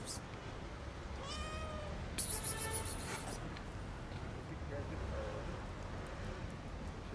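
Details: Fluffy tortoiseshell cat at Bakırköy park asking for food with a single short, bending meow near the start, then a bright rattling clatter and steady low outdoor rumble.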